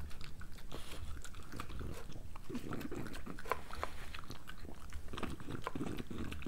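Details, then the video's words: Pregnant female French Bulldog eating her breakfast indoors: dense, irregular wet chewing and crunching clicks, quick sharp bites scattered through a steady low rumble of mouth noise. "Pregnant French Bulldog ASMR"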